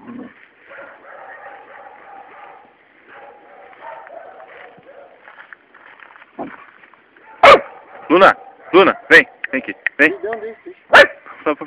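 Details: Luna, a three-month-old Labrador pup, with a toad she is playing with. Portuguese talking fills the first seconds, then a rapid burst of high yapping barks, several per second, ends with a final bark.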